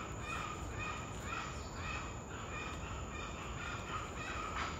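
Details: Spider monkeys alarming at a puma in Corcovado National Park, Costa Rica: faint, repeated hoarse barking calls about once a second, set against a steady wash of forest noise and a constant high insect whine.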